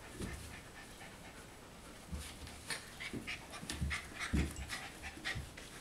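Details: Panting from four-week-old puppies, soft breathy puffs in an uneven rhythm, mixed with brief high squeaks and low thumps toward the end.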